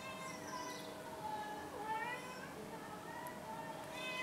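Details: A domestic cat meowing in long, drawn-out, tonal cries that run almost without break, with a wavering, bending pitch near the middle and a slight rise toward the end; quiet recording with a faint background hiss.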